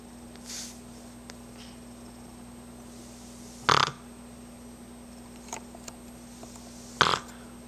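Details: D'Jango, a sleeping Boston Terrier, snoring: two short, loud, rasping snorts about three seconds apart, with faint softer breaths between them over a steady low electrical hum indoors.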